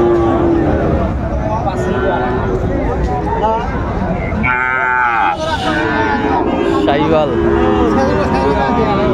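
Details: Market scene in Chattogram, Bangladesh, 19 December 2024, with Sahiwal bull calves: a sustained low moo opens, then a brief loud bellow mid-way and further scattered moos, all over continuous crowd murmur.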